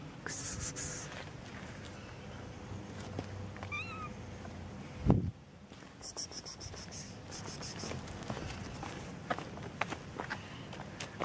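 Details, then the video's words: Two cats, a tortoiseshell and a calico, meowing outdoors on a street: a few short, faint, rising-then-falling meows near the middle, over steady low street rumble, with a sharp loud thump partway through. "Zwei Katzen miauen auf der Straße"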